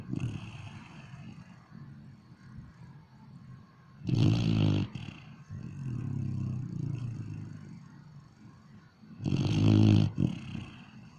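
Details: A dog snores in its sleep, giving two loud, gravelly, low-pitched snores about five seconds apart, with soft rumbling breaths between them.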